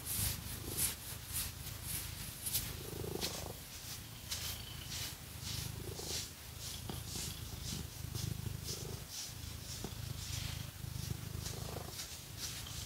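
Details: House cat purring as it is scratched, a low buzzing rumble held throughout under busy scratching and rasping strokes that come in uneven bursts, with no voices.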